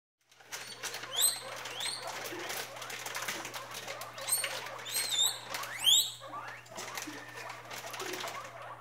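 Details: Three-week-old guinea pig pups meeting their father for the first time: high, sharp upward-sweeping squeaks in short bursts scattered through the clip over soft rustling patter, with a steady low hum beneath.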